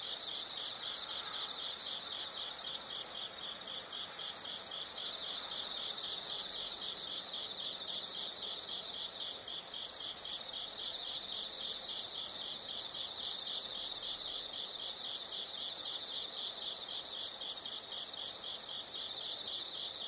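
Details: Insects chorus in a nature soundscape, a steady high pulsing chirp with brighter bursts roughly every two seconds, layered over a soft constant background hiss.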